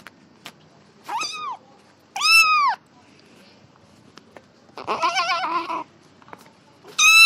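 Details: Kitten meowing during play: short arched mews and a longer, wavering, strained call near the middle, with soft taps in the pauses.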